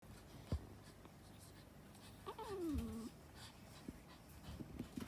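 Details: Female Japanese Chin giving a single soft, sliding whine that starts high and drops in pitch over under a second, with a brief tonal upper overtone, framed by light thumps and handling noises in a quiet room.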